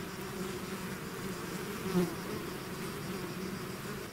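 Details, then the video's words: Bees swarming out of their hive make a thick, unbroken buzzing hum, layered low tones holding steady, with one brief louder swell near the midpoint as a bee passes close. "bees therapy swarm natural buzzing sound"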